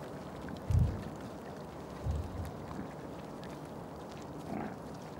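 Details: Male wild boar, a tusker, gives two deep, short grunts about a second apart, the first louder, then only faint background noise.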